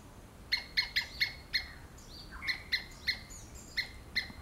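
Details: A squirrel screams in a series of high, sharp chip notes, about three per second in short runs, broken by a soft descending slur midway.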